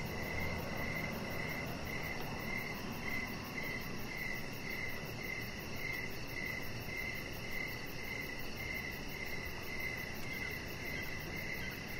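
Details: Crickets chirping in the evening outside on a deck, a clear regular series of high chirps about two per second over a continuous fast shrill trill and soft broadband hiss.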